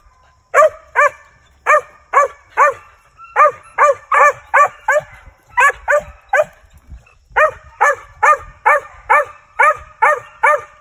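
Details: Male Mountain Cur squirrel dog barking in training, bred from treeing lines; evenly spaced, clipped barks roughly 140 a minute, clean and loud with little background sound.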